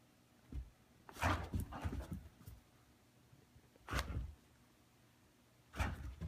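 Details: An Australian Shepherd gives short, gruff barks and grumbles in separate bursts indoors while playfully teasing her owner with a zebra toy, wanting him to grab it.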